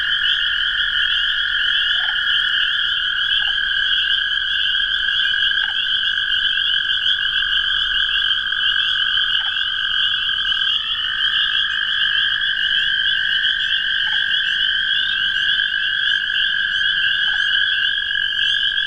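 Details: Toads and spring peepers calling together in a steady, unbroken chorus of high shrill trills, with faint short peeps scattered over the constant drone.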